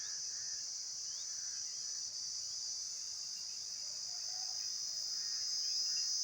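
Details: Shrill, unbroken insect buzzing at high pitch fills the whole recording, steady in tone, with only faint scattered lower notes beneath and a slight swell in loudness toward the end.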